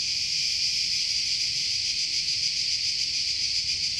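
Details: Cicadas in a forest in Croatia, a continuous dense buzzing hiss, high and steady throughout with a faint rapid pulsing texture and no pauses; nothing else stands out.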